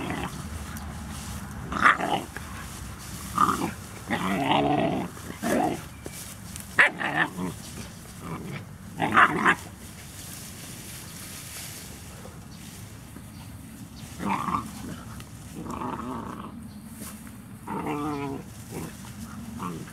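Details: Labrador Retriever puppies giving short, tonal whining yelps and growly grumbles in bursts of about a second, clustered early and again in the last third, over a steady low rumbling background.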